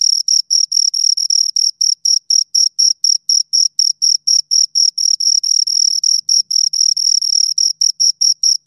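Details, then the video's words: Shrill chirps from two crickets close by, short high pulses repeated rapidly and steadily, each a tight rasp with a faint upper overtone, no other sounds present. "Two Crickets Chirp Sounds"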